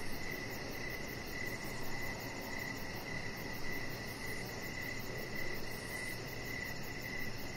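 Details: Evening cricket chorus heard from an outdoor deck: short, bright chirps repeat at an even pace, about two each second, over steady broadband background hiss and low rumble.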